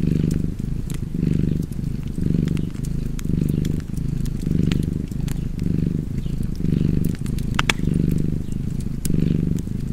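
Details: Low, rumbling cat purr rising and falling in regular breath cycles just under once per second, accompanied by the bright clicks and crackles of a fireplace.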